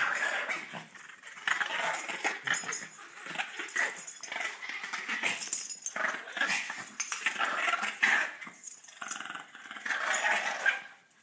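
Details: Playful dominance contest between dogs trying to claim one another; continuous raspy growls and snarls rise and fall in overlapping bursts, loudest toward the middle and end, in an indoor room.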